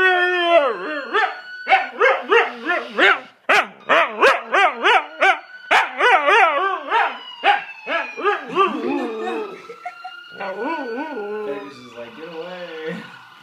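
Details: Dog named Tifa gives a fast run of short, bouncing yelping howls, roughly three per second, over a faint steady tone, ending in lower wavering howl notes.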